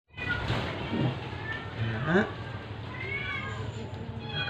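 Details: Sick stray cat being force-fed, giving short arched meows amid a woman's soothing Tagalog and English speech and steady low background hum.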